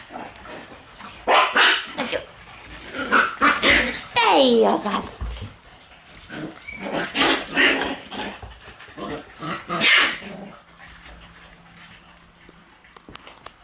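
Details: Several Shiba Inu puppies in a busy puppy room on 1 September: clustered sharp barks and yips, a long wavering whine-yelp near the middle, then more barking bursts before quieter rustling at the end; faint voices present.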